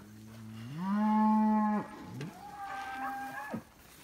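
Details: Longhorn cattle being penned by Lacy dogs: one long, low, droning moo that swells and holds for about a second, then a second, fainter and higher-pitched moo trails off shortly after.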